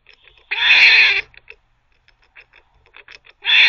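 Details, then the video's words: Squirrel barking while teething: two long, harsh, buzzy rasping bursts, one near the start and one at the end, with soft scattered clicks and ticks between them. "Squirrel barking (while teething)"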